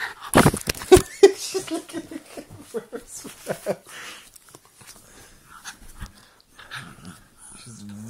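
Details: Jug dog play-fighting indoors as it settles down for bed, giving quick breathy grunts and pants in a rapid irregular run over the first four seconds that then fades, with a woman talking and laughing over it.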